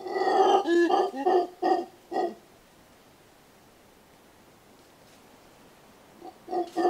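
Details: Mantled howler calling in a rapid run of loud, guttural, roaring grunts over about two seconds, then silence, then two more rough bursts at the close.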